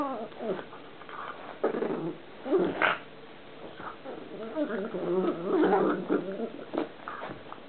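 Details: Pug making a very strange noise while playing: rough, throaty growls and snorting grumbles that come in uneven bursts over several seconds, with people talking in the background.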